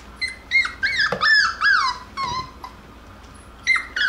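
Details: Jackabee (Beagle and Jack Russell cross) puppies playing and wrestling: high, whiny cries that bend up then slide down, in quick uneven bursts with short gaps, the last two after a pause near the end.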